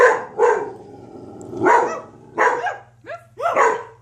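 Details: Dogs barking: six loud, rough barks in four seconds, spaced unevenly in pairs and singles, over a low steady hum.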